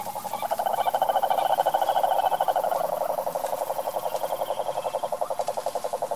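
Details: Cururu, or cane toad, calling in the wild in the Brazilian sertão: a long, fast, mechanical pulsed trill at one steady pitch, strongest in the middle and holding to the end, with faint hiss behind.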